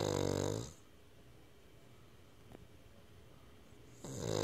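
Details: A sleeping Cavalier King Charles Spaniel puppy snores indoors. A loud, rasping, harmonic snore fades out over the first second. Near-silence follows, and then the next snore begins about four seconds later.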